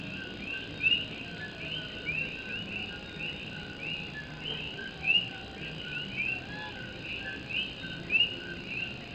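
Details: Puerto Rican coqui frogs chorusing through a rainy Puerto Rico night, a continuous high shimmer of many callers pierced by clear, upswept whistles that repeat irregularly, several bunched near the end, with rain pattering on a tin roof underneath.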